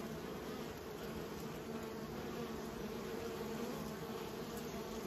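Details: Bees raised by a keeper producing a constant massed drone, low and even with a brighter upper band, continuous across five seconds with no pauses.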